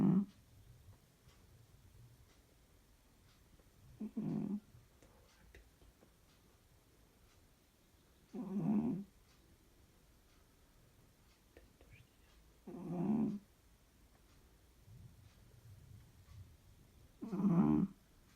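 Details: A cat asleep indoors snores very loudly. Five deep, grating snores repeat about every four to five seconds, each a short, buzzy swell with low breathy sounds in the pauses.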